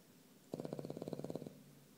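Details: Nico, a pet dog, snoring while asleep: a single one-second snore made of rapid, evenly spaced pulses, a fluttering rattle, in a quiet room.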